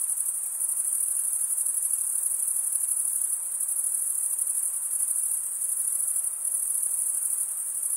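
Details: Male crickets stridulating: a continuous shrill, ringing trill made of rapid tiny pulses, holding one high pitch with small swells in strength, over a quiet background.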